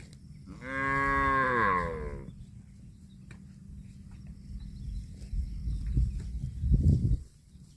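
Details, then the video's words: Cow mooing while eating grass: one loud, drawn-out moo of about a second and a half with a strong harmonic stack that rises then falls, followed by quieter low rumbling and soft grazing and rustling noises. "CUTE AND FUNNY COW SOUND EATING GRASS COMPILATION - COW MOOING"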